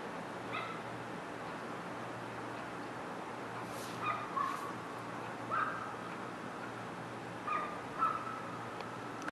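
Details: Domestic cat sneezing: two sharp, hissing bursts about a second apart, set against a steady low hum and short whistled chirps that recur through the background.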